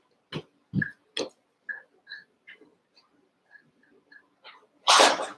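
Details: Young Cavalier King Charles Spaniel puppies at play in a pen, eight littermates together; sharp short yips and squeaky whimpers come one after another, ending in a loud burst of noisy breath like a sneeze.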